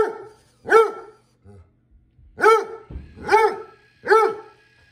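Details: An English Basset Hound gives loud, rich barks in an uneven series, concerned about a floor-cleaning robot vacuum in the house.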